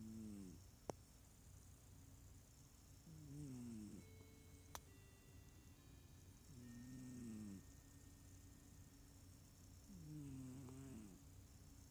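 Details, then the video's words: Small cat snoring rather than purring, with four drawn-out, wavering breaths, rising then falling in pitch, repeated about every three seconds against a quiet indoor hum with a couple of faint clicks. "Snoring smallcat"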